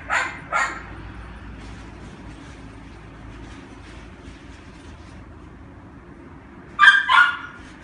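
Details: A female red toy poodle puppy, born 18 October 2016, at a pet shop gives two pairs of sharp, high-pitched yaps, with a quiet pause between them.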